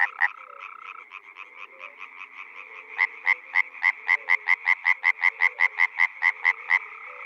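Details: In a spring wetland in the Czech Republic, distant frogs murmur before a close frog bursts into a long, steady train of loud, sharp croaks, roughly three to four per second, for over four seconds.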